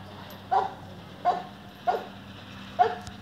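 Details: Hybrid mastiff, an Old English and French Mastiff mix, barking four short, sharp times, spaced roughly under a second apart over a low steady hum.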